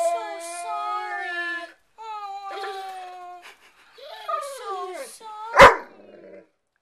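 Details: Ziggy, a pet dog frustrated that another dog, Hurley, has his bone, makes long tonal howl-like 'talking' sounds indoors, wavering and sliding in pitch, in three drawn-out phrases, ending with one sharp bark; a woman's voice encourages him between.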